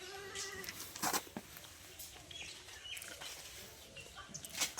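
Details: Newborn female Sirohi goat kid at a goat farm in Dhantola, Ranaghat, West Bengal, gives a short, thin, harmonic bleat near the start, followed by soft clicks, rustling and faint background noise.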